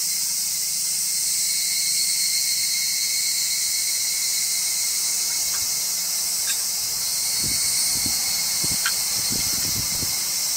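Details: Evening cicada (higurashi, Tanna japonensis) sings a high, shimmering, rapidly pulsing kana-kana-kana without pause, recorded 12 August 2014 during an Obon grave visit in Japan.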